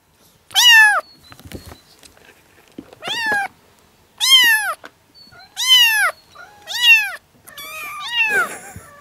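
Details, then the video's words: Young yard kittens, seven of them at four and five weeks old, calling in June 2017: separate strong, high meows rising then falling, about one every second or two, with brief quiet gaps and soft shuffling. "Kittens meowing (too much cuteness) - All talking at the same time!"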